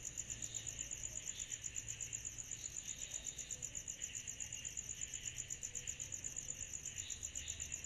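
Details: Cicadas calling through a summer night: a loud, crisp high-pitched pulsing trill, strongly rhythmic at roughly four pulses a second, with a gentle hiss underneath and little low noise.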